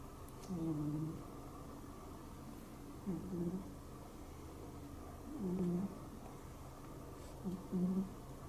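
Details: Rescued cat asleep, making low murmuring sounds like snoring or sleep-talking, as if having a bad dream; four soft, low groaning bursts spaced a few seconds apart in a quiet small room.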